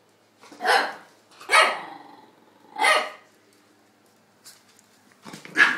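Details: Playful sharp barks from a two-year-old Chihuahua, Tony, and an eight-week-old English Staffordshire pup, Dexter, playing together; three loud yaps about a second apart, a pause, then a faint bark and a final loud one.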